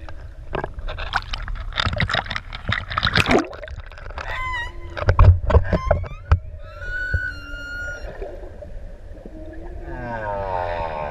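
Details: Underwater song of humpback whales near ʻEua, Tonga, where six adults approached swimmers; a burst of clicks and splashes gives way to clear high whistles and a steady tonal note, then a low sweeping moan at the end.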